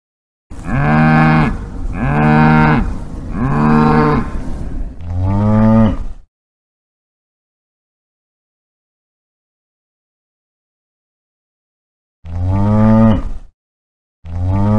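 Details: A cow moos in three long, steady lowing calls, then a fourth shorter falling moo, a gap of silence, and two more short moos near the end; rich deep harmonic voice with no other sounds.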